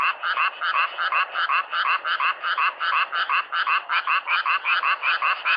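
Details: Frog chorus in a natural setting: rapid, regularly pulsed harsh croaks overlapping without pause, several callers at once.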